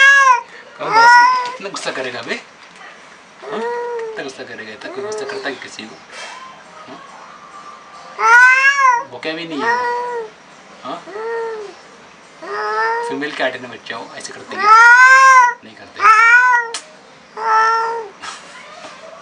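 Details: A furious black cat confronting an unfamiliar cat for the first time gives a rapid series of loud, arching yowls and shorter wails, some overlapping, over about twenty seconds indoors.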